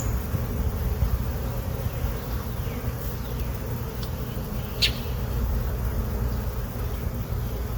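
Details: Honey bees in a hive box, settled there since April 29, 2022, buzzing during an inspection of frames with brood and eggs; an even, low droning hum throughout, with a few brief knocks.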